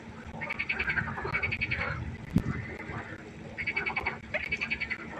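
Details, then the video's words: Pond frogs calling at night: short, rapid trains of buzzy pulsed croaks in quick succession, a pause in the middle, then another burst of clicking croaks near the end. "1 Stunde Froschkonzert. Frosch Geräusche quaken. Frösche Geräusche Konzert"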